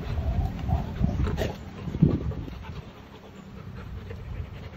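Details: Rottweiler with sand on its body, panting in soft breathy puffs that come heavier and faster over the first two seconds, then ease into quieter breathing over a low, steady rumble.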